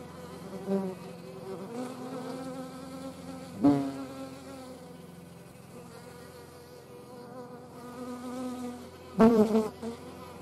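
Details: A hornet in the Eifel, where hornets, wasps and honey bees were filmed, makes a steady, low droning wing buzz with a rich harmonic hum and a couple of sharp nearby passes.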